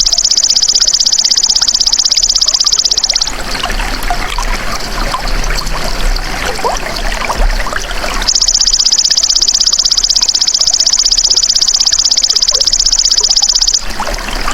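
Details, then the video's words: Golden grasshopper in a natural insect recording used to train songbirds: a dense, high buzzing trill of very rapid even pulses in two long bursts. Between them comes a stretch of rushing, trickling water-like noise. "MASTERAN BELALANG EMAS TERBAIK 2026 | SUARA ASLI"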